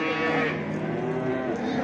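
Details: Cattle at the Çorum livestock market in Turkey; a short, steady, low moo rich in harmonics fills the moment, set against the constant hubbub of the busy market.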